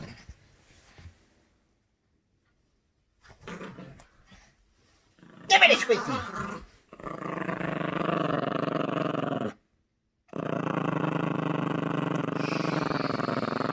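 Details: Playful growling from Gracie, a Yorkshire Terrier puppy tugging on a squeaky toy indoors; after speech and a squeak, two sustained rumbling growls follow, split by a brief pause.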